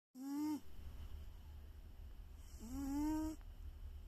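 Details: Domestic cat snoring loudly at rest: two drawn-out voiced snores, each a slightly rising, nasal drone with a stack of harmonics, about two and a half seconds apart over a steady low hum.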